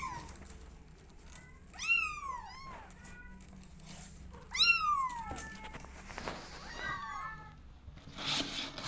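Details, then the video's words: Kittens eager to explore outdoors meow insistently, loud arching cries alternating with fainter overlapping mews from another kitten, plus scratching and shuffling noises. "Adorable Kittens Wants To Explore The World They Are Meowing To Go Outside"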